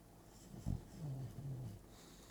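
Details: Bulldog sleeping and twitching indoors; a short low snort followed by a soft, drawn-out, deep snoring breath, all quiet against faint room hiss.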